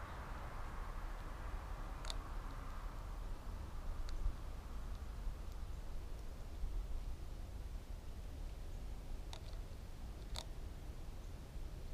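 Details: Steady low rumble of background noise with a few sharp clicks and ticks scattered through, and no clear bird calls.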